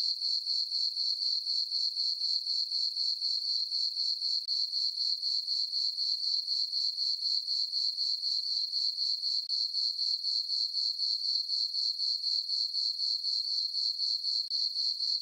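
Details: Crickets chirping in a meadow on a farm on a peaceful summer night under a full moon and dark skies: a high, shrill, even trill pulsing steadily about four times per second throughout, with no other sounds.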